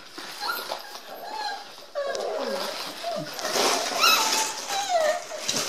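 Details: Eight-week-old Dandie Dinmont Terrier puppies indoors, getting noisy: high, wavering whines and yelps rising and falling, overlapping from several pups, with human voices and room noise underneath.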